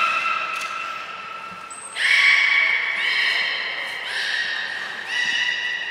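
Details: Training session for the belugas Hodoi, Gray, Nana and Niko at Port of Nagoya Public Aquarium on 5 June 2021. A short high piercing whistle precedes a run of steady, tonal, reedy calls with strong overtones, each held about a second and slightly stepped in pitch.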